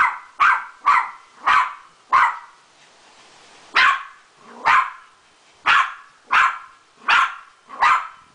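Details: Sharp barks, roughly eleven, come in an even, insistent rhythm with one short break as Adi the Beagle greets her new poodle friend.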